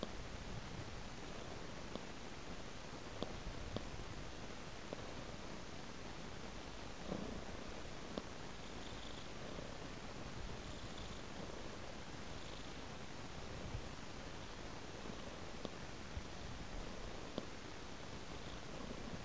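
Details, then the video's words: Cat following a trail of raw meat, purring continuously: an even, deep rumble with no pauses, broken only by a few faint clicks and small knocks. "Purring Cat Follows a Trail of Raw Meat"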